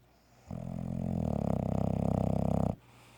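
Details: Piggy the Bulldog snoring while napping and dreaming through an afternoon nap indoors: one long, loud, rattling low snore lasting about two seconds, with a rapid fluttering pulse throughout.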